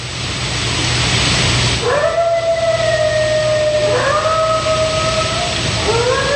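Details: Coyote howling just before its pack joins in: smooth, drawn-out tonal howls that rise then hold steady, with clear harmonics. A second rising howl starts near four seconds and a third near the end, over a steady background hum.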